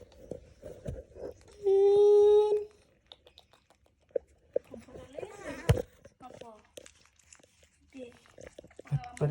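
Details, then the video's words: Baby monkey wanting to hug a boy, giving one loud, steady, tonal cry of about a second amid softer wavering whimpers, clicks and handling noises indoors. "Suara monyet lucu, sound of funny monkey, baby monkey want to hug a boy, monyet ingin memeluk orang"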